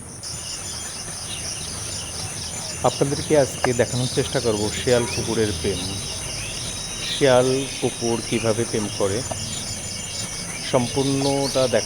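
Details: Jackals calling at night: after a few seconds a chorus of wailing, rising-and-falling howls and yips breaks out, several animals overlapping, fading and swelling again, over a constant high shrill of crickets.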